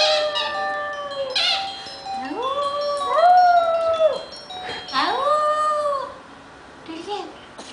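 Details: Indoor pet Maltese, a female just past one year, answers a cell phone ring with repeated howls, each sliding up from low then arching and fading, several in sequence, ringtone notes audible behind.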